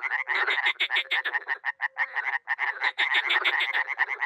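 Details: Frogs and toads, dozens together at a small pond in Miroslovesti, NE Romania, in spring, keep up a thick mass of overlapping rattling croaks in quick pulses, a few soft low hoots under them, with a brief lull midway.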